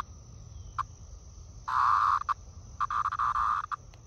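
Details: A periodical cicada, held briefly by hand near a green ash on a nice day out in eastern North America, gives harsh, buzzy bursts, one long rasp followed by a quick stuttering series.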